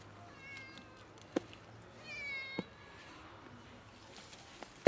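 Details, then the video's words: Ginger cat emerging from bushes and meowing to ask for food: a faint short meow, then a longer, clearer drawn-out meow that rises and falls, with a few sharp taps and quiet outdoor background. "Cat came out of bushes meowing for food"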